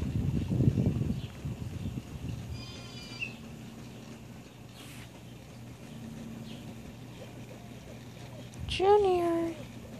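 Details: Junior, a pet cat outdoors in the morning while rolling in fresh dirt, gives one clear meow near the end, a short harmonic call sliding downward. Before it come a woman's affectionate talk, soft rustling and a low steady hum.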